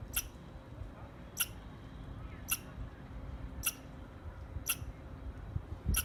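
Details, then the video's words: Six crisp, bright squirrel chirps repeated roughly every second, each a brief sharp burst, with a low hum and a soft thump near the end. "Squirrel Chirping Sounds"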